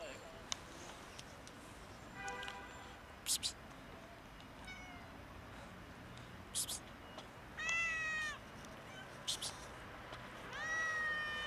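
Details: Domestic cats, a kitten and two adults, meowing loudly to ask for food: about four drawn-out, harmonic meows, some rising then falling, spread across the stretch with short gaps, over steady background hiss and a few sharp clicks.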